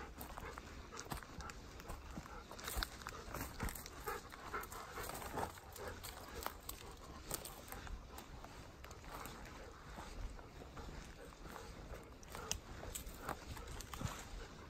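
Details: Walking out to the field, ten-year-old Golden Retriever Haku keeps up a quiet, continuous rhythmic panting, with outdoor background rustle.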